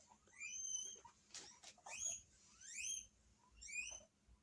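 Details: Household guinea pigs in Hokkaido answering an unknown guinea pig's voice from the TV: loud, high whistled squeals sweeping upward, about four bursts, mixed with rustling and thumping noises.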